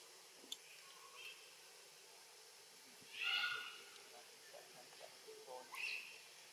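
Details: Hungry orphan baby macaque Brandi, trying to forage alongside a bigger monkey, gives one short, bright, high squeal midway through; otherwise faint background hiss and scattered soft clicks.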